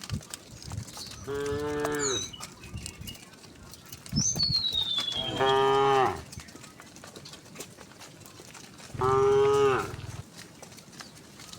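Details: Dozens of tame cows walk along a quiet country road in green countryside, mooing in long, rich, harmonic lows: three calls a few seconds apart.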